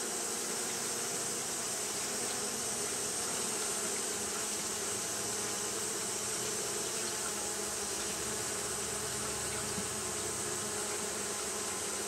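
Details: On a hot day, Japanese honey bees keep up fanning behaviour, producing a dense continuous buzz: a low, slightly wavering drone beneath a bright hissing wash, steady throughout.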